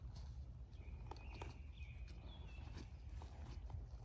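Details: Eleven-year-old blue roan registered Quarter Horse gelding, its hooves striking in uneven clip-clop knocks, with faint thin bird whistles and a steady low rumble of outdoor wind underneath.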